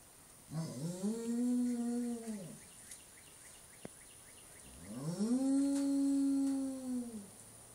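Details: English Mastiff at a ranch, two long sustained howls with rich harmonics, each lasting about two seconds, rising then holding steady before falling away, separated by a short pause; faint background hiss.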